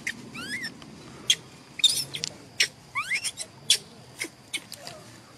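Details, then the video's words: Little pampered macaque, a male, protesting with angry whistles when he disagrees: several steep upward-sliding whistles with faint overtones, interspersed with loud clicks and knocks. "Look at this pampered little monkey, whistling angrily when he disagrees"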